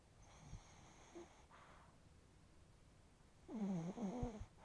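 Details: Sleeping chihuahua with facial twitching, snoring indoors: a rasping snore early on, a quiet gap, then a louder wavering nasal whine-like snore with rising and falling tones near the end.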